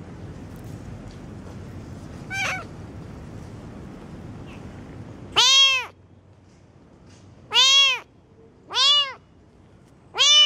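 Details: Kitten meowing: a faint high cry early on, then four loud, drawn-out meows with arched, rising-then-falling tones, spaced roughly one to two seconds apart, over quiet low background hum.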